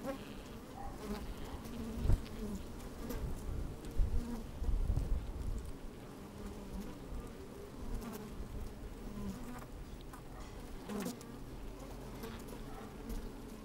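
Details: With a microphone slid into an open hive on a sunny, breezy day, honey bees shuffle about and occasionally buzz. A low steady drone is overlaid by heavy low rumbling gusts and bumps, strongest around the second to fifth seconds.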